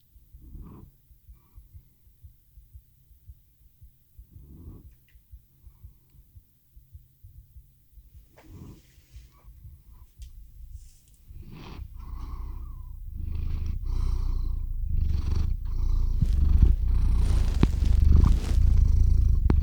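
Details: A cat named Theo falling asleep by a RODE NTG-3 microphone and ZOOM H6 recorder: soft breaths and faint clicks at first, then a low rumbling purr that swells and grows steadily louder over the last eight seconds.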